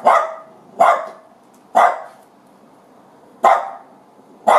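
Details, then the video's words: Dachshunds barking after finding a ringtail possum; five sharp, loud barks spaced about one second apart, each a short burst with quick fade. "Dachshunds Find Ringtail Possum"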